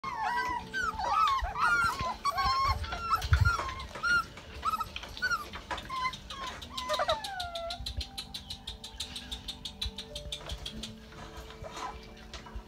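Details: Several Rottweiler puppies on day 33 of their litter diary, during potty training: many short, high, arching whines and whimpers overlap through the first half, followed by a dense run of rapid clicking ticks and a few scattered faint whines.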